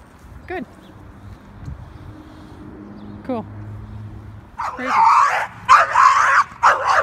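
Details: Dog barking during board-and-train leash work with Beignet, a three-year-old leash-reactive male American Staffordshire Terrier (red nose pit bull), aggressive toward dogs on leash. Calm praise and two thin squeals first, then a burst of loud, sharp, rapid barks.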